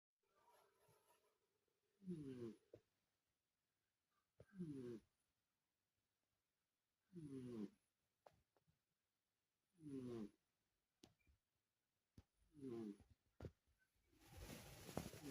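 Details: Sleeping Persian cat snoring indoors: five rough, buzzy snores, each about half a second long and ridged with harmonics, come roughly every two and a half seconds with quiet breathing gaps between them. A burst of broadband rustling closes the recording.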